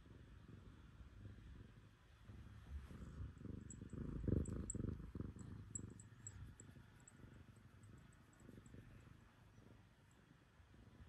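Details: Black cat named Terrace purring on a lap first thing in the morning after a cold night; steady low rumbling purr throughout, swelling louder around the middle, with faint high ticks above.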